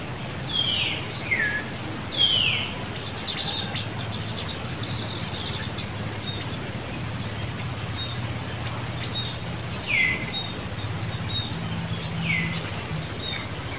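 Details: Monkey in Cambodia, Angela seeing another monkey near young Lucie: several brief, high, downward-sweeping cries scattered through the stretch, some in quick pairs, over a steady hum and rustling outdoor noise.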